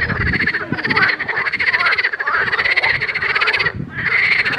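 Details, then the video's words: Pond frogs calling continuously, rattling pulsed croaks overlapping from several animals, a short dip in the chorus near the end, with some low rumbling noise at the start. "grenouilles chantes croasses leurs mélodies des grenouilles dans un etand d'eau"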